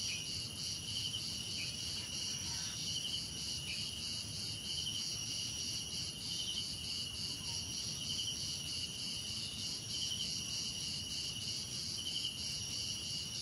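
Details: Crickets in a dense chorus with other insects: steady, shimmering high trills in several layered bands, one band pulsing rapidly, with brief chirp bursts, over a soft low rumble of background noise.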